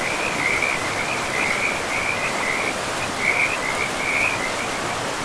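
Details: Frogs calling beside a river in a pristine, moss-covered forest: short, high, rattling trills come in quick bursts one after another, over the steady broadband rush of flowing water.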